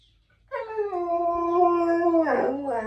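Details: Siberian Husky howling: a sustained, wavering tonal howl with rich harmonics, starting abruptly, holding steady then dipping and breaking near the end, with background music.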